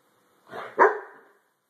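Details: White German Shepherd Dog being brushed after a shampoo, letting out a single short, hoarse bark with a breathy lead-in, in a quiet room.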